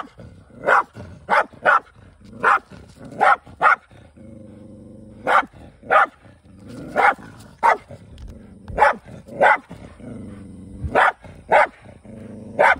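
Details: Countryside hunt by Kai, a male Shiba Inu living with a formerly feral dog: rapid barks in clusters, separated by low rumbling growls between bouts.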